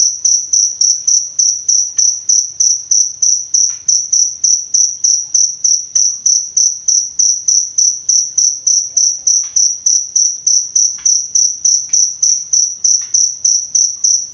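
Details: Steady cricket chirping meant for tutoring and calming songbirds in Indonesia, high clear pulses about three per second in an even, unbroken rhythm, with faint scattered clicks in the background.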